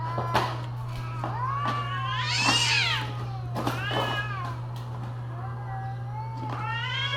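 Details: Cats yowling in mating season: warbling, bending wails that swell into a loud high cry midway, then quieter drawn-out moans, with a steady low hum in the background.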